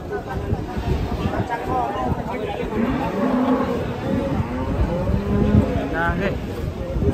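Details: Sacrificial cattle in Indonesia running loose: short low moos in the second half, partly buried under loud shouting crowd voices and rumbling commotion.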